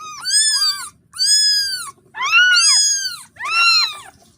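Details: Motherless kitten crying for its mother with four long, drawn-out meows, each nearly a second long and arching up then down, coming roughly once a second against quiet background.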